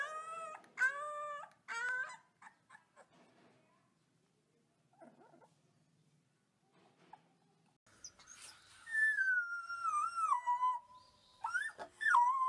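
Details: Baby wolf pups: a few short upward-bending yelps open the clip, followed by a long quiet stretch with faint whimpers. The end brings longer, wavering howls that slide downward, plus rising squeals.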